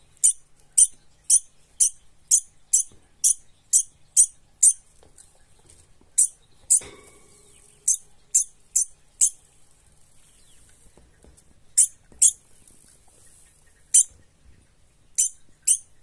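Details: Scared degu scolding with rapid, shrill high-pitched squeaks in quick runs, a brief rustle and pause midway, then further scattered squeaks in small clusters toward the end.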